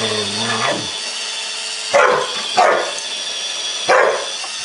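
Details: Wonder, a pet Samoyed, confronting a Roomba robot vacuum: after a brief whining tone, three sharp barks come at uneven intervals over the steady whirring hiss of the machine.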